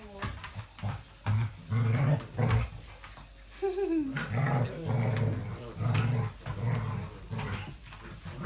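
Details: English Springer Spaniel on 05.02.17, growling in a steady low rumble broken into repeated pulses, with one brief higher whine in the middle and faint voices nearby.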